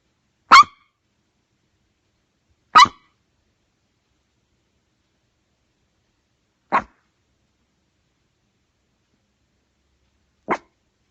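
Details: Pet dog reacting to knocking with four single, abrupt barks spread irregularly over about ten seconds; the first two are louder and the last two quieter, with near silence between them.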